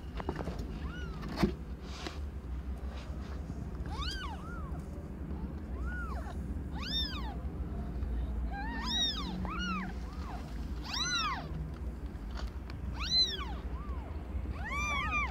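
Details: Meows during the birth of five differently coloured kittens to Aimee, a young domestic cat not yet a year old; repeated rising-and-falling mews, about one every two seconds, some high and thin, over a constant low hum.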